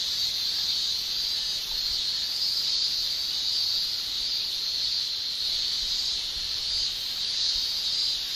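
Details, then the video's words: Japanese summer cicadas, males producing their tymbal song: an unbroken high-pitched shrilling mass of sound with soft rises and falls in intensity. "Japan Summer Cicada Shrilling Relaxing Sound"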